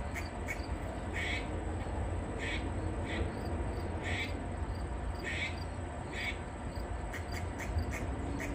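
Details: Grey squirrel barking up in a tree while snapping its tail, a distress call given when a predator such as a dog, cat or person is nearby; short, harsh barks repeat roughly once a second over a steady low rumble.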